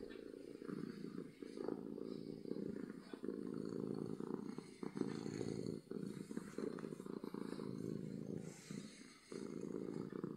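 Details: Happy domestic cat purring loudly: a steady, low rumbling drone that runs almost without break, with only brief dips where the cat breathes, plus faint scattered clicks and rustles.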